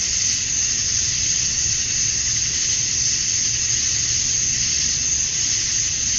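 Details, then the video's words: A summer-dusk chorus of male cicadas in Georgia, USA, chirping to attract females; a steady, unbroken high hiss-like drone holds level from start to finish. "Cicadas at Dusk, Summer Night"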